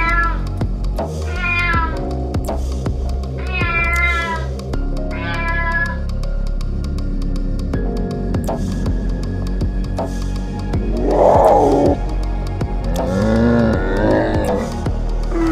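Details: Domestic cat meowing in short, wavering calls, about three separate meows in the first six seconds, then a louder whining cry near the end, heard over continuous background music.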